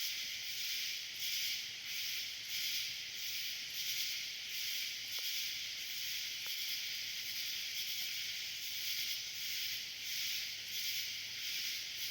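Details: Cicada swarm calling at night in summer, a dense continuous high hissing buzz that swells and fades slightly about once every second or so, with no other clear sounds.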